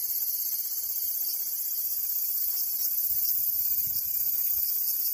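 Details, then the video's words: Shrill, even cicada song: a constant high metallic buzz sustained for the whole stretch, with a slight shimmering texture and little else audible. "Cicada Sound"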